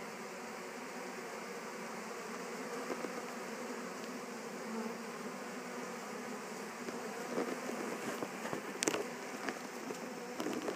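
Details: Honey bees from the Gwenyn Mel 2 colony, just returned to their Warre hive after swarming, settle in with a steady, dense hum low in pitch; sharp clicks and taps break through near the end.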